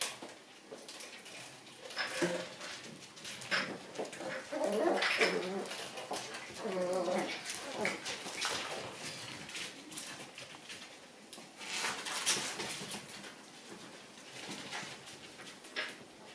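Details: Shiba Inu puppies playing indoors after the lights are switched off: a busy run of short harmonic yelps and growly whines over scuffling and clattering, densest between two and eight seconds.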